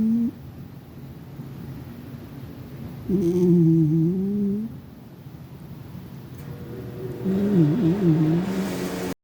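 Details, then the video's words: Cat dozing in dreamland, snoring: a rising whistled hum lasting over a second, a quiet pause, then a wavering, fluttering snore towards the end, with faint rustling, inside a small room. "My cat was in dreamland, just snoring away"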